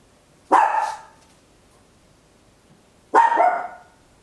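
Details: Small Papillon dog barking loudly at home, captured in stereo on an Olympus LS-11: two sharp, bright barks about two and a half seconds apart, each quickly fading, against a quiet indoor background.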